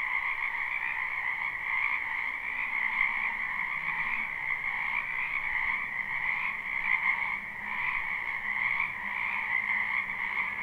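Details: Live spring recording of numerous wetland frogs: ceaseless chorus of croaking in two bands, gently swelling and fading every few seconds, with a faint low hum beneath.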